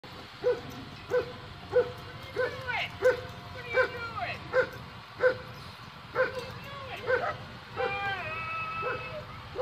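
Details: An excited Border Collie reacting to a school bus: short, sharp barks repeated about every two-thirds of a second, broken by high, sliding whines. A drawn-out whining yelp comes near the end, and faint voices and traffic are heard in the background.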